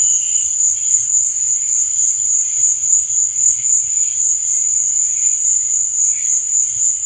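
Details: Night chorus of crickets, a continuous high-pitched buzzing trill beating several times a second, even in loudness throughout, over faint low rumble.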